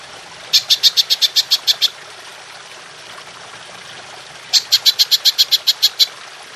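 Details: Belalang emas, golden grasshopper, in songbird training audio: two bursts of about nine sharp high-pitched ticking pulses each, separated by a silent gap of roughly two and a half seconds.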